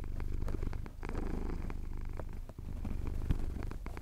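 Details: Close, loud purr from a male cat enjoying a chin scratch at a Cotswold sunrise, recorded on a Tascam DR-07X. Low throbbing rumble in breath-length surges, small clicks throughout.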